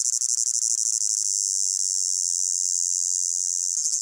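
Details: Crickets of a hot summer meadow in a blended recording: a high, steady buzzing trill, choppy at first then smoothing into a continuous wash, with a brief dip at the end.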